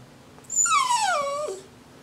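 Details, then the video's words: Jack Russell Terrier prompted to say Happy New Year answers with one drawn-out whine, rich in overtones, sliding steadily downward in pitch over about a second against a quiet background. "the Jack Russell wishes a HAPPY NEW YEAR TO EVERYBODY"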